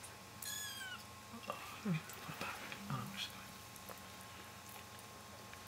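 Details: British Shorthair kittens at 16 days old, learning to walk indoors; one thin, high, drawn-out meow sliding downward near the start, followed by soft rustling and low murmuring sounds.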